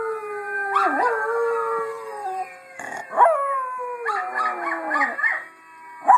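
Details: Little pet Miniature Schnauzer howling along with another Schnauzer's recorded howl: falling, sliding howls with bright overtones, a sharp rising yelp near three seconds, then a cluster of wavering, broken howl notes.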